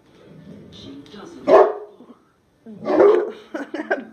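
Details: Bella, a 14-month-old female mastiff, barks at her own reflection. Two loud, deep barks come about one and a half seconds apart, with a person repeatedly calling her name and reassuring her throughout.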